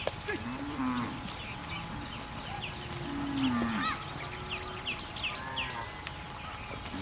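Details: Cows heading into the mountain forest to graze, giving two drawn-out low moos, a short one near the start and a longer one with a falling end a few seconds later, over steady chirping of small birds and rustling.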